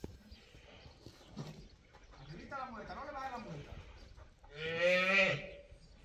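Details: Young female calf used for bullfighting training at a private school on a ranch gives a short, loud, rasping bawl near the end, after a stretch of low human voices and shuffling.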